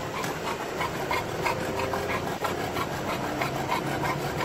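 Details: Drooling Olde English Bulldog on a sunny car ride, panting hard: short wheezy breath pulses at about three per second, steady and loud, with engine drone underneath.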